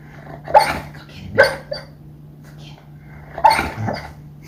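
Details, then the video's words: Dreaming female dog making funny noises while asleep: three short muffled woofs, two close together then one more after a pause, each with a breathy huff, over a constant low electrical hum. "Dog Makes Funny Noises While Dreaming"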